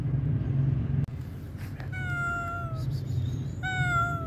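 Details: Pregnant stray cat, hungry, meowing outdoors: a sharp click, then a long level meow lasting nearly a second and a second meow starting near the end, with low background hum of traffic.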